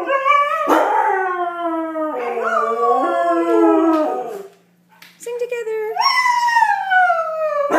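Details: Siberian husky singing, a loud drawn-out howl that swoops and wavers in pitch, with a short break and a quiet yip, then rises again into a long falling howl.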